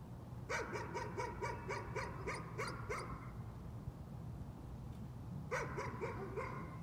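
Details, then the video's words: Dog in a bout of nuisance barking: a quick run of about nine sharp, high barks over three seconds, a short pause, then four more, over a steady low hum. "Nuisance barking again."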